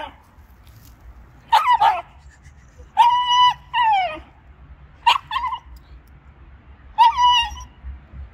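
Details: A Shiba Inu barks and growls at an icy puddle, guarding its owner from crossing: shrill, yelping barks under a second each, several doubled with the second note dropping in pitch, over a low background hum.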